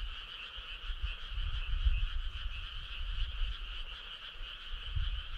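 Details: Many frogs calling together on a midsummer night by a rural road, an unbroken pulsing trill with faintly beating texture, accompanied by low rumbling noise throughout.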